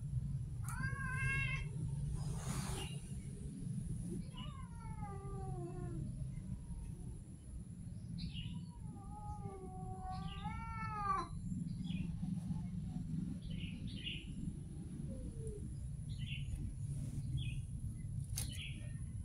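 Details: Street cats meowing repeatedly, several short rising-falling mews and a longer wavering one, interleaved with fainter high chirps, over a constant low rumbling background.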